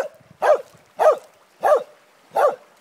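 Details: Cardigan Welsh Corgi barking: four sharp, clipped barks spaced about half a second to 0.7 seconds apart, each a short burst with strong energy in the mid range, quiet between barks.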